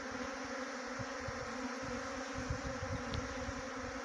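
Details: Steady, dense buzzing hum of a honey bee swarm near a bee box in Chakrata, Uttarakhand, with soft low thuds underneath.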